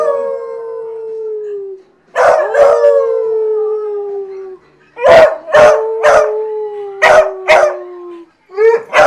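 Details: Hounds howling together: a long falling note fades out, then bursts of sharp barks and quavering howls resume, with a sustained tone held beneath the barking until a short gap near the end.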